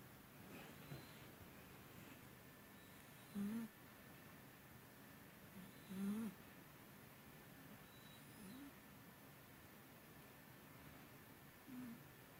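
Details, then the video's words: Byuri the cat snoring heavily while asleep, a long-time snorer louder than usual today, sounding almost human; short low nasal snorts rise every few seconds, about four in the stretch, over a quiet indoor background. "코고는 고양이 뷰리 Snoring cats いびき猫"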